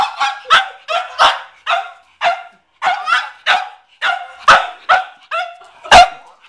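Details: McCartney, a pet Cavalier King Charles Spaniel, barks at a watermelon he spotted in the garage; steady run of clear, mid-pitched barks about twice a second, a few with slight whining edges.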